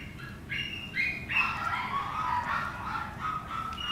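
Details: Chihuahua puppy giving high, thin squeaky yips and whimpers, short tonal notes rising and falling in quick irregular succession over a low steady background hum.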